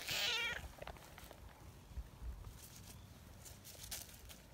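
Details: Affectionate tortoiseshell street cat, friendly and kneading while waiting to be stroked, opens with a loud, clear, harmonic meow lasting about half a second, followed by quiet rustling and low background hum.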